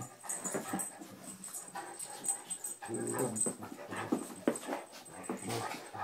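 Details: Anatolian Shepherd named Sampson playing gently with Mia, a small rescue dog who plays rough, in a small room. He sounds like a bear. Rumbling, harmonic growls come in bursts over scuffling and panting.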